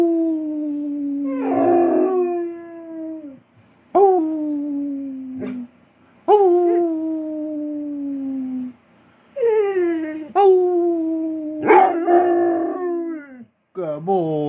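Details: Basset Hound Clyde gives a run of drawn-out, sagging howls, several opening with a sharp upward yip before tailing off lower, broken by short pauses and a few quick wavering cries near the end.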